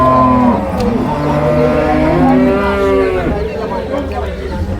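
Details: Buffalo calves at the Cholakkal market in Payyanad, Manjeri, Kerala, around six or seven in the morning. Several drawn-out, harmonic moaning bellows overlap and rise and fall, with faint human voices behind.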